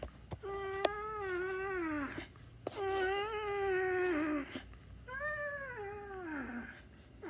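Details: A house cat gives three long, drawn-out meows, the first two steady and sustained, the last rising then sliding down, with rich harmonics in a small indoor room.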